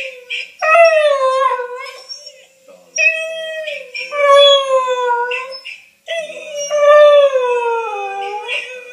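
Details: Wylee, a female whippet, howling on hearing her own recorded voice played back: long drawn-out harmonic wails that slide slowly downward, three extended howls separated by brief pauses, indoors.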